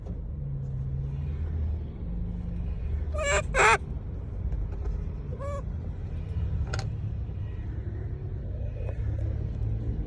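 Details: Monkeys calling out to people: a rapid pair of bright, harmonic squeals, then two more spaced single cries, each dropping in pitch, all over a heavy background drone of passing vehicles.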